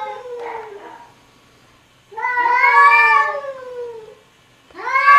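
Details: Cats arguing with each other, with a brief falling moan, then a long, loud, strained yowl that bends slowly downward, and a fresh rising howl starting at the end.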